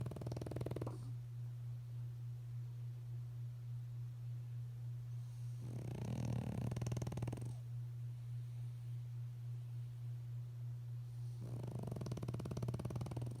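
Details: A female French Bulldog snores in slow, rasping bursts about six seconds apart over a steady low hum while sleeping, before being woken in the morning.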